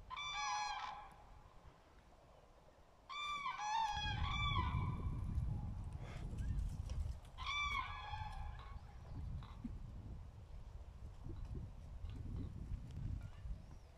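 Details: Dachshund gives three bursts of high, tonal, wavering yelps and whines, each about a second long with quick stuttering notes, separated by pauses, over rumbling outdoor background noise.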